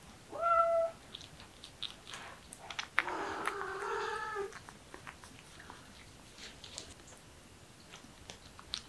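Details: Kitten, a young cat starting to act affectionate and coaxing, indoors: one short bright harmonic meow, then a longer, lower, wavering drawn-out cry of about a second and a half, with faint clicks and chewing-like ticks around it.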